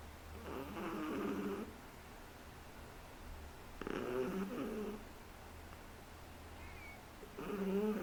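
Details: A 3-month-old Shih Tzu puppy snores in slow, rattling breaths, each lasting about a second and returning every few seconds.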